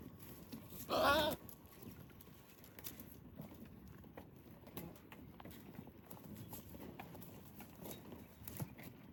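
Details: A goat among pregnant and baby goats being fed dates on a farm gives one short, loud, wavering bleat, then quiet shuffling and low background noise follow.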